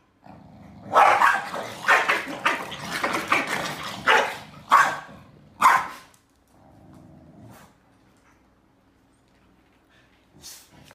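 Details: In Beijing on July 28, two Corgis, a male and a female, argue over who sleeps on the bed, snapping and trading a rapid string of sharp, rasping barks and growls, then falling quiet.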